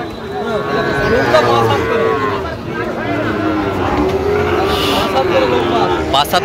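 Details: Sahiwal bull calves for sale at a cattle market on 17 October, with a Dhaka farmer buying; a rich, sustained moo in the first half, then fainter calls among bargaining voices and a passing vehicle.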